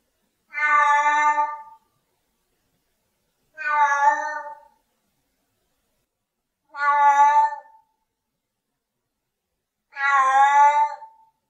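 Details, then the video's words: Regular meowing from a Siamese cat: four evenly spaced, about one-second harmonic calls roughly every three seconds, steady in loudness, nothing else audible. "Tunog ng SIAMESE CAT | Sound of SIAMESE CAT"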